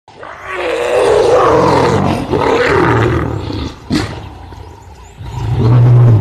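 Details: Lioness driving a curious male away from her very young cubs during a clash; loud, harsh snarling roars fill the first seconds, then a short pause and a deep rumbling growl at the end.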